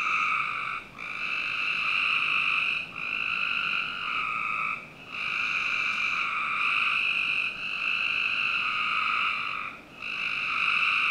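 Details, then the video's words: Backyard in Northern Virginia on a summer night, frogs producing near-continuous harmonic trills in overlapping phrases of two seconds or so, with only a few brief breaks. "Frog Night 1"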